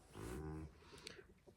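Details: A livestock guardian dog named Bear barks from behind the speaker because he dislikes another dog, a deep, drawn-out bark followed by quieter speech.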